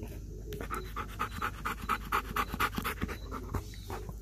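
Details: Belgian Malinois named Kayne panting close up after a good workout while eating a whole raw chicken; rapid rhythmic breaths about twice per second, steady for a few seconds then easing, with faint chewing and handling noises.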